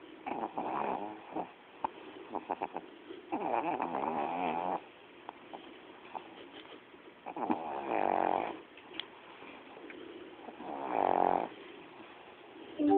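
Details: Sleeping pet dog named Coco snores loudly, with uneven rattling bursts of a second or so. Some come in quick runs, others after longer quiet gaps.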